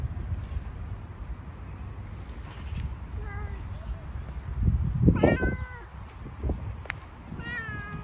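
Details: Stray street cat among stones being fed: a few short meows, one louder falling meow near the middle and a rising one at the end, over steady low rumbling background noise and faint human voices.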